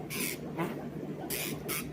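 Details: An aquarium catfish makes short, dry rasping bursts, a cricket-like stridulation produced by rubbing its pectoral fins together when they are stimulated.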